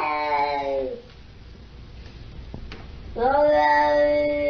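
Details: Siamese cat voicing two long, tonal meows separated by a quiet two-second pause, each starting low and sliding slightly upward, rich in harmonics, in a small indoor room.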